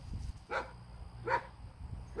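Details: A German Shepherd outdoors gives deep, loud single barks spaced under a second apart, a big bark that frightens a small pocket beagle puppy nearby.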